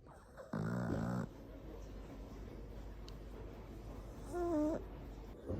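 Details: Flat-faced pug–toy poodle cross snoring: a loud buzzy rattling snore lasting under a second, then a quieter whistling, nasal snore about four seconds later, in a quiet room.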